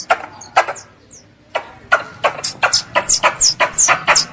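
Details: Calls of a pest squirrel seeking its mother: a brief pause, then sharp clicks and shrill down-slurred whistles quicken into a dense, nearly continuous burst.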